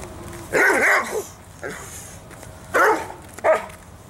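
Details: Dobermann, all white, giving a few deep, harsh barks in two pairs with short pauses between them.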